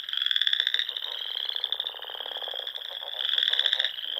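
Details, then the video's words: Spring frog chorus at dusk by ponds in Nebraska's Sandhills: many callers produce continuous high trilling, with rapid pulses and a louder burst near the start and end, plus softer lower clicking beneath. "RELAXING SOUNDS OF FROGS"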